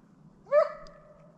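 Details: Slovakian hound named Arrow baying to hold a wild boar in place during a driven hunt with dogs in Sweden, November 2022: one sharp bark with a rising onset that stretches into a drawn-out, howl-like tail over a low steady hum.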